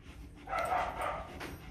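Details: Purebred Rottweiler puppies, 24 days old, offspring of Vietnamese champion Loki and Siro, at their first meal; a short, tonal whining yelp swells mid-clip and fades, with a softer echoing cry after it over a faint background hum.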